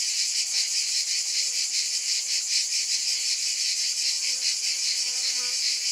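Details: A continuous shrill cicada buzz with a soft rhythmic throb of roughly two to three beats per second and faint low tonal traces beneath.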